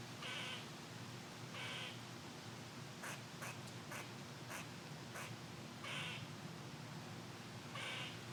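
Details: Upset squirrel scolding from its tree as it is recorded: short harsh, hoarse barks alternating with quicker sharp clicks, several per second at times, over steady wind rushing through the branches.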